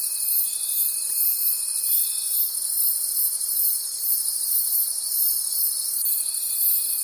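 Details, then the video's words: Forest crickets at night: a thick wall of high-pitched chirring beats in regular soft swells, while a steady pure tone sounds for the first two seconds and returns near the six-second mark. "Cricket Conversations at Night"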